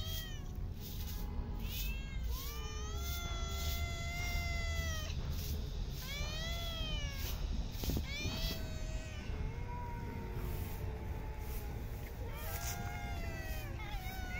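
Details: Park street cats being fed call in a string of arched, rising-then-falling meows, several cats overlapping, above a dense low rumble of urban surroundings.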